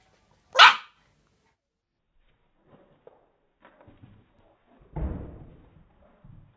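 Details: Dog during a game of fetch gives a single loud, sharp bark, followed by quiet taps and knocks and a dull thud as an object lands, then soft shuffling.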